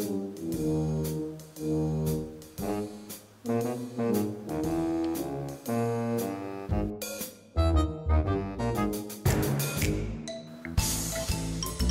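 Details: Lively jazz with trombone, saxophone and trumpet over a shifting rhythm, and no animal sound heard.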